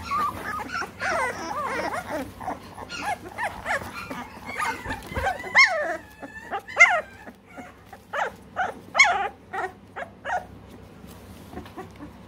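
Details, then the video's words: American Bully puppies, three weeks old, in Great Britain, letting out scattered high yelps and thin whines at irregular intervals, with several sharper squeals standing out over softer background whimpering. "American Bully"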